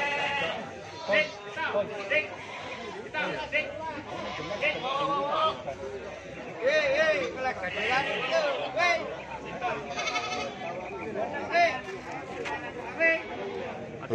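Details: Busy goat market in Tuban, Indonesia, on a January 2023 morning: several goats give wobbling, nasal bleats, some long and rising, tangled with constant human voices and market chatter.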